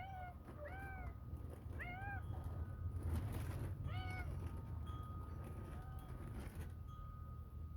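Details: Domestic cat meowing to go in at bedtime on January 19th 2023, outdoors while small birds are fed; about five arched, rising-then-falling meows roughly a second apart, then a softer one, over low hum and a rustling burst.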